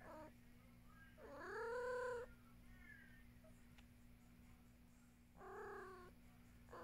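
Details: Luna, a pet cat, gives one long, rising-then-falling meow, then a shorter second meow several seconds later. A quiet room with a constant low hum fills the gap.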